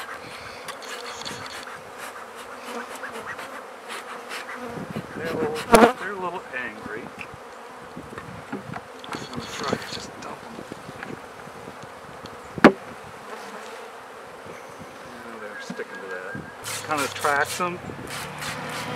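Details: Honey bees swarming and seeming a little angry while new beehives are set up and fed; a steady droning hum runs throughout, broken by sharp knocks, clicks and handling of hive parts.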